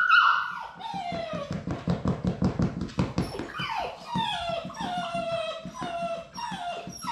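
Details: Labrador Retriever puppies at High Desert Labradors on their last day before leaving for new homes, whimpering indoors: high, falling whines, then a fast run of short pulsed yelps before more drawn-out descending cries.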